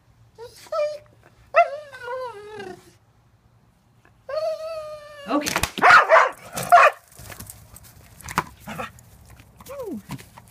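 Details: An excited dog waiting for a ball from the basket during sit-and-wait practice gives several tonal whines, some sliding downward, then noisy clattering and shuffling, a person saying 'wait', and a last sharply falling whine.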